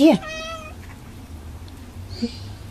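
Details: Ruby, a pet cat excited by soap bubbles, gives a short meow: a tonal, slightly falling cry under a second long with clear overtones, followed by quiet room sound and a person talking nearby.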